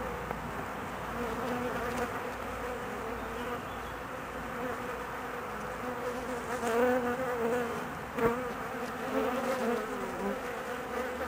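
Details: Honey bee colony agitated while its queen is out on her mating flight, gone about 45 minutes; thick, even buzzing drone with harmonic layers and several short louder surges in the second half.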